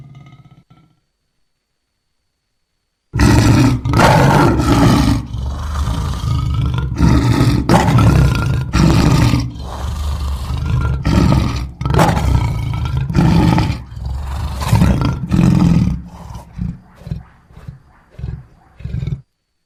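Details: After a quiet start, an African lion erupts into a rapid series of short, deep, grunting roars, roughly three or four per second at first, gradually weakening and spacing out toward the end.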